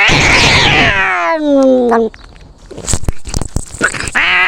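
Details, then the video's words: Cats fighting: a loud, strained yowl falls away in pitch over two seconds, followed by scuffling, thumps and rustling, then another harsh cry begins. "Experience a cat fight from a cat's perspective."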